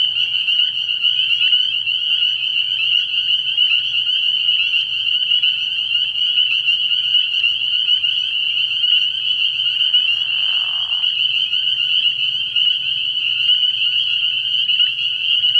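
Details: Spring peepers chorusing at night at a frog pond early in the year, a steady high-pitched peeping wall, with a single short, lower, rough call midway.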